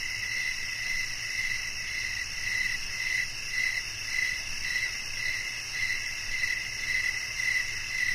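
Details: Repeated shrill cricket chirps, each a short high pulse arriving roughly every half second in an even rhythm, over a constant background hiss of insect sound.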